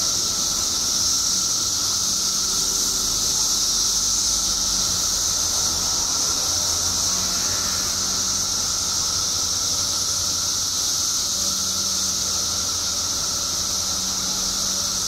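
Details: Billions of periodical cicadas emerged in Illinois after 17 years underground make a relentless, even, high-pitched buzzing chorus with a steady lower whine, while faint low hums drift in and out underneath.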